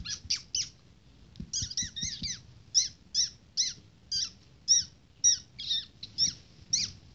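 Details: Two-week-old Shih Tzu puppies, playing, give thin, high squeaks, often in quick pairs and triplets.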